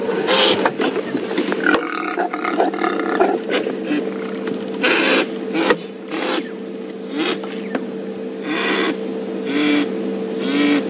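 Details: Wild impalas rutting on a morning safari drive, males in behavioural posturing while others become subordinate; harsh, broadband roaring snorts come in bursts, with a steady engine hum running underneath.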